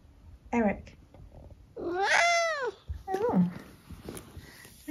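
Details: Eric, a senior tabby cat from England, gives a long arched meow that rises then falls, with shorter chirping mrrp-like calls before and after it, while a person talks softly close by.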